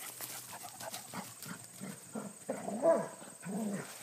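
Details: Two Basset Hounds, aged 10 and 7, playing like puppies in the countryside of upstate New York, give short, deep, throaty barks and grumbling yelps in two bursts.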